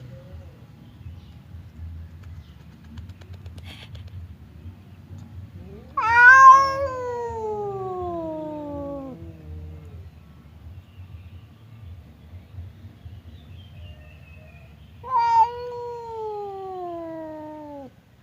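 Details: Two domestic cats, a fierce one named Temon and a quiet one named Lelo, face off across a divider as if about to fight; two long, drawn-out wailing yowls slide downward in pitch, separated by a quiet stretch with low background hum.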